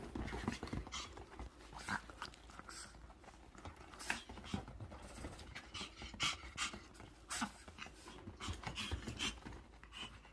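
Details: Dog greeting its owner home from a business trip with steady rapid panting: short breathy huffs in a fast, even rhythm, close and continuous, with faint low room hum beneath.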